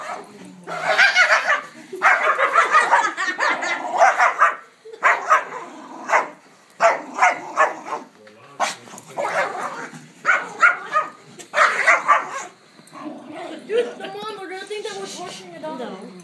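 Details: Male rescue dog with a small leg deformity growls while attacking his pillow as family members play with him; harsh, rough growling bursts come in runs of one to two seconds with short pauses, with voices and laughter later.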